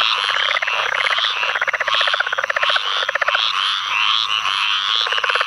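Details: Flooded field after Tropical Storm Ana, Onslow County, North Carolina, 11 May 2015: choppy, guttural pulse runs from a southern leopard frog rise out of a dense frog chorus that includes squirrel treefrogs and pine woods treefrogs.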